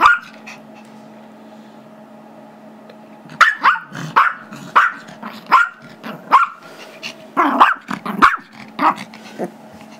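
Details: Chihuahua/Yorkie mix, five years old, playing tug and barking for a squeaky toy held by a two-year-old Yorkie; quiet start, then a burst of quick shrill yaps and short growly barks over a steady hum.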